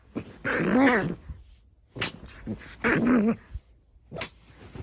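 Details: Elderly pet dog indoors making two grumbling, wavering vocal bursts about two seconds apart, the pitch rising and falling, with short sharp clicks and knocks between them.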